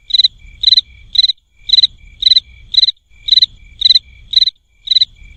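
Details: Cricket sounding in crisp groups of three high, ringing pulses, each triplet repeated about every half second, with soft low rumbling noise between the groups.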